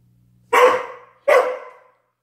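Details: Halloween scene with a Dobermann giving two loud, abrupt barks about three quarters of a second apart, each fading quickly, over a faint low hum indoors.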